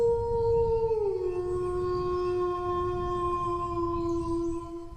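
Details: Dog howling: one long, steady, tonal note that slides down early and then holds level for several seconds with clear overtones, over a low, constant background rumble.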